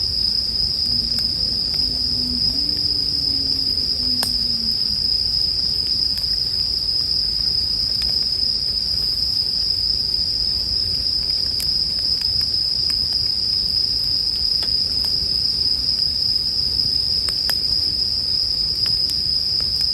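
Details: Unbroken high bell cricket ringing paired with campfire sounds for sleep, scattered dry crackles popping through the twenty seconds and a faint low wavering drone early on.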